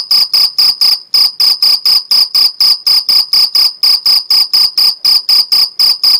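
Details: Mediterranean field cricket in the Algarve, Portugal, chirping by stridulation: crisp, piercing pulses repeated about three to four times a second in a continuous train, with a clean, quiet background.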